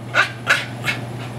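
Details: Magneto, a dog playing with his ball, gives three short, sharp barks about a third of a second apart, each a quick burst, over a steady low electrical hum.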